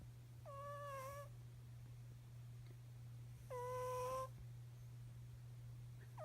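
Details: Sleeping cat snoring: two breaths about three seconds apart, each a whistled nasal tone that dips then holds steady, wrapped in a soft breathy hiss, over a constant low electrical hum.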